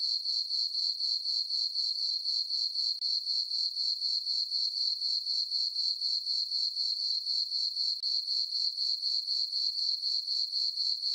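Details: On a farm meadow at night under a full moon in summer, crickets keep up a constant, bright, rhythmic chirp near four pulses each second, steady in volume.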